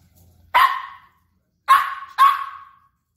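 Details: A Maltese puppy barks at a brush it seems to take for an intruder, giving three sharp, high-pitched barks, the last two in quick succession.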